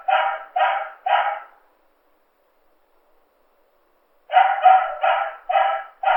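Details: A dog gives three quick, harsh, tonal barks in a row, falls silent for nearly three seconds, then barks again in a fast run of four or five.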